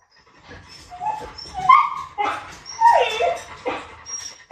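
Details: Pet dogs, a Labrador and a Teddy, during a patience contest; high whining whimpers and short yips rise and fall in uneven bursts, with a sharp squeal at the end.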